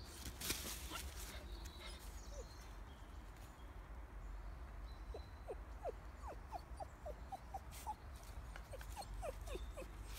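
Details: Bentley, a female Pomsky on a walk, peering through a fence at a hog she has never seen before and scared; a long run of short, high, thin whimpers repeated rapidly over outdoor background hiss.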